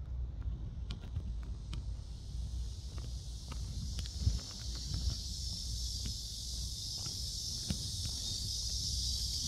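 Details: Cicadas at Seoul Innovation Park, South Korea, around 11 a.m. on 11 July, buzz in a steady, high, hissing drone that swells slightly over a low outdoor rumble.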